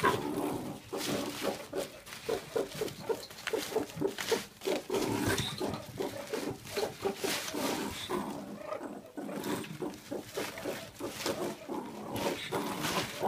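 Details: Adult male meerkat, kept with nine others in a captive mob, protecting his mealworms; rapid rhythmic pulsed growls with short tonal notes early on, a brief quieter gap, then renewed harsh chattering.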